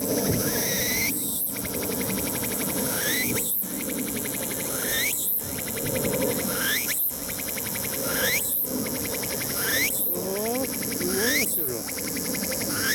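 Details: Tsukutsukuboshi cicada singing unseen at the summit of Mt. Ino, Umi, Fukuoka, Japan, on a sunny 21 September 2022 in early autumn; rising buzzy phrases with rapid pulsed notes repeat roughly every two seconds over a broad insect chorus and low hum.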